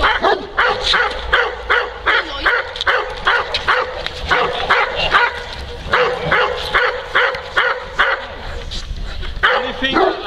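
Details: Neapolitan Mastiff named Kuba, a working dog protecting his owner from multiple agitators, barks in a rapid run of loud, harsh, evenly spaced barks, roughly two to three each second, with human voices mixed in behind.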